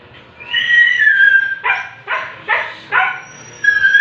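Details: Siberian Husky during artificial insemination: a long high whine sliding downward, then four short sharp yips about every half second, ending with another rising whine.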